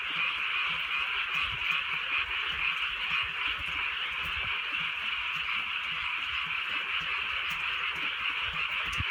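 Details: Frogs calling through a drizzly night in the countryside, a dense, unbroken chorus of many overlapping high croaks and trills forming a steady shimmering wall of sound, with light rain falling.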